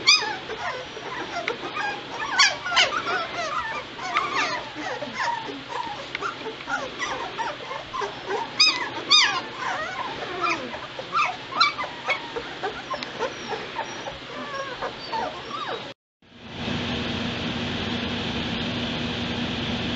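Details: White Shepherd litter, two weeks old, November 22, 2016: dense overlapping high whimpers and squeaks for about sixteen seconds, then a sudden cut to steady hiss and hum.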